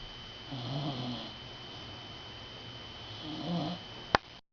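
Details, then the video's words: Sleeping rescued dog after a long day of playing, two soft rasping snores a few seconds apart over a quiet room hum, ending with a sharp click. "Drake snoring"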